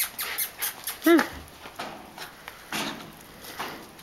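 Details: Lola, a German Hunting Terrier, lets out a single short whining yelp that rises and falls. A person urges her on in Serbian with fetch commands, and there is some scuffling noise.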